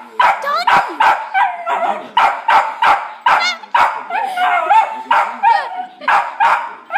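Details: A West Highland White Terrier barks at dogs on TV, giving rapid, high, sharp barks, nearly three a second.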